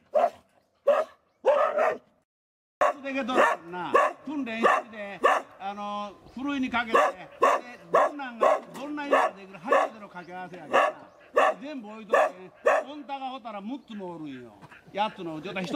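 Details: Boar-hunting dogs of a local club in Tokushima Prefecture, Japan, at rest before the hunt: a few sharp barks, then excited whining and yelping with wavering, rising-and-falling tones, broken by steady repeated barks.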